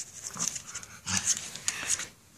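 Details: Pug named Vinny, indoors in a small room, playfully attacking a fluff toy; rapid breathy panting and snuffling bursts repeated about every half second, with a person talking nearby.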